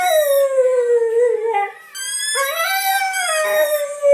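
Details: Pet blue Staffordshire Bull Terrier singing with its favourite toy; two long harmonic howls, the first falling slowly, then a short pause and a second one that climbs and levels off, wavering throughout.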